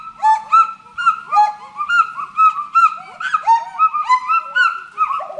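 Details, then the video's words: Monkeys in forest call in loud swooping whoops, each note arching up then down, two or more voices interleaving in a steady, busy exchange. "FOREST MONKEY VOICE"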